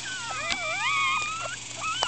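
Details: Four-day-old Miniature Schnauzer pups, squirming and unhappy, let out continuous reedy whimpers gliding upward and falling, several voices overlapping, with faint thumps and a low background hum.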